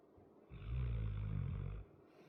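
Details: Sleeping 100 lb dog giving a single deep, rattling snore of just over a second, low and buzzy, set against a quiet room.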